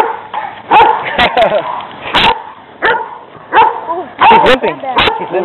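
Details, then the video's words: Two aggressive stray dogs confront a restrained pet Rottweiler during a walk. Loud, abrupt barks come in irregular clusters about every half second to a second, mixed with yelps and tense human voices. "PET ROTTWEILER ATTACKED BY AGRESSIVE DOGS"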